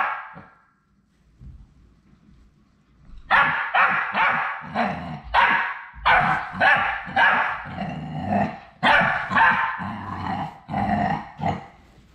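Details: After a quiet start, Labrador Retriever puppies on their last day at High Desert Labradors break into a steady run of short, bright whimpering yelps, roughly two per second, with low rustling underneath.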